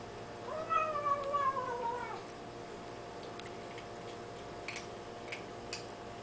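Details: Tiny kitten making small noises while eating: a thin, descending whine of about a second and a half, followed by quiet clicks and faint taps against a steady indoor hum.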